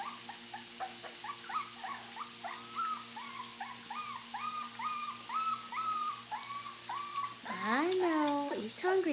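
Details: Puppies feeding on mash whimper in short, evenly paced high notes, roughly two per second, before one louder swooping squeal breaks in near the end; soft hum throughout.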